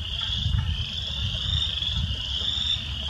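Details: A dense spring chorus of spring peepers in Southeast Wisconsin, with a woodpecker pecking nearby, blends into a steady, high, shrill ringing over a low rumble of wind or distant traffic.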